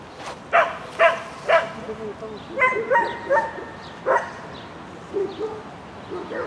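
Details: A Shetland Sheepdog named Lesya barks on an agility course, Spring 2016 competition, 22 May 2016. A quick burst of three barks opens, followed by higher yelping notes and scattered barks, with voices in the background.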